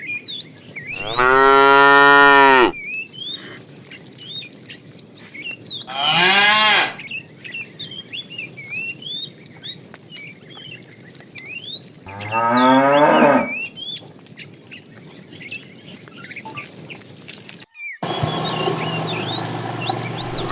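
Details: Tame cattle in a herd setting off on a long journey to fresh pasture: three loud, drawn-out harmonic moos near the start, middle and later, with many whistled bird chirps throughout and a brief cut near the end.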